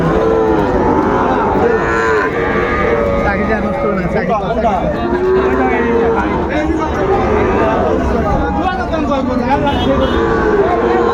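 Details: Sahiwal bull calves at a cattle market in Magura, 22 August 2024, where a farmer is buying; several low, drawn-out moos rise above a steady babble of crowd voices and talking buyers.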